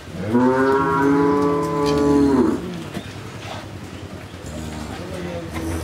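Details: A Jersey cow in Bangladesh, with her bull calf after her second calving, gives a long, steady, harmonic moo of about two seconds. A quieter, lower moo starts near the end, and faint human sounds are in the background.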